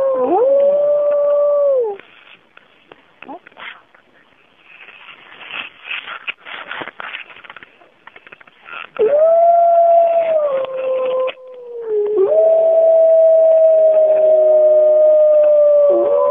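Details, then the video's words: Bays Mountain wolves in a 2010 recording, howling as a pack on a cool morning: a sustained howl breaks off into a stretch of scattered rough noises. Then several long, level howls return and overlap. "Bays Mountain Wolves Howing"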